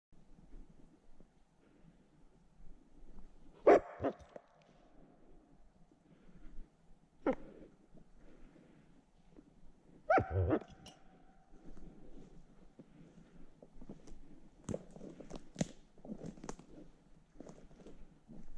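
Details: A wild gray wolf (Canis lupus), being caught for collaring and release, gives harsh, abrupt barks spaced several seconds apart over a low background rumble while attacking.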